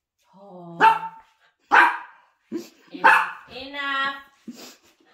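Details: Poodle puppy indoors giving a run of yelping barks, some with a drawn-out tonal whine, in irregular bursts about every second; a person speaks to it between the yelps.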